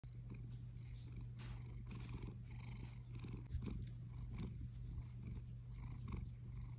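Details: A contented male Balinese cat, chocolate lynx in colour, purrs steadily in a low continuous rumble with a soft rhythmic pulse; finding: Siamese cat.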